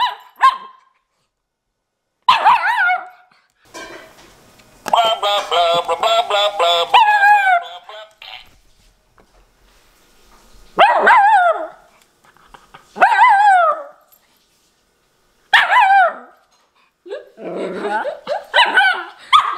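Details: Miniature Schnauzer puppy Nori talking back; a run of high, yappy barks and a long, wavering whiny grumble, bursts spaced a few seconds apart, faint background music.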